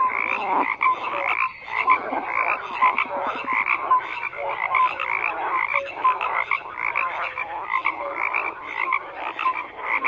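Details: Steady croaking from many frogs, with grating bursts and small tonal blips overlapping in a constant wall of sound.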